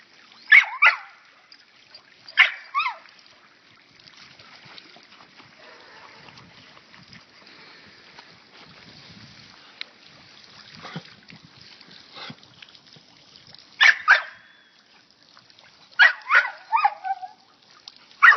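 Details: Lucy the dog, out in a water fountain and known for a funny bark, lets out short paired barks and high yips in bursts every few seconds, with splashing, trickling water filling the gaps.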